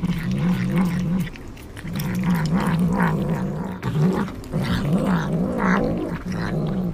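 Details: Cat eating sea cucumber, giving a low, continuous rumbling growl that wavers in pitch and stops briefly twice, over wet chewing and smacking noises.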